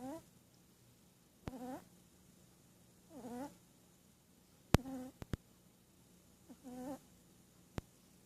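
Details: Shih Tzu puppy asleep and dreaming, snoring in short whistly, nasal bursts of about half a second, repeating roughly every one and a half to two seconds, with a few sharp clicks between breaths.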